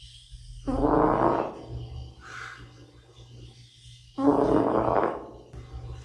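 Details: Drowsy 'uncle' cat Bota asleep and snoring: two harsh, grainy snorts about three and a half seconds apart, a faint higher squeak between them, and a low steady hum throughout.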